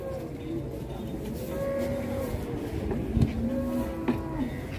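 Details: Cattle being unloaded from a truck, led down by a child; low drawn-out moos with steady tonal bands, heard twice over a dense background of engine rumble, voices and music.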